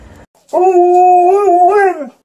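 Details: Golden Retriever male playing with an Alaskan Malamute female whose heat cycle just ended, his third such play of the day; one sustained, steady howling whine lasting about one and a half seconds, ending with a slight rise and fall.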